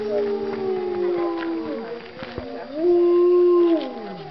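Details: Wolves at a Colorado wolf and wildlife center howling in the daytime: long smooth low howls, one easing downward, a pause, then another steady howl rising in and holding level, with faint higher voices behind.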